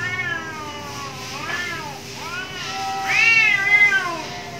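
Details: Angry cats fighting behind a home trade long caterwauling yowls, bending up and down in pitch, swelling into a louder, higher howl in the last second and a half, over a faint steady hum.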